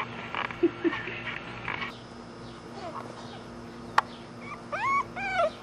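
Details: Three corgi puppies, a black female and two males, filmed April 27: soft, faint squeaks early on, then thin, high whines near the end that rise and bend downward, over a steady low background hum.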